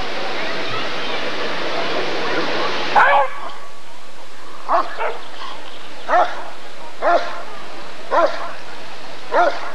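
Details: Rottweiler at the 1994 ADRK breed survey (Körung): after about three seconds of broad hiss, six deep single barks ring out at irregular intervals of one to two seconds against a quiet background.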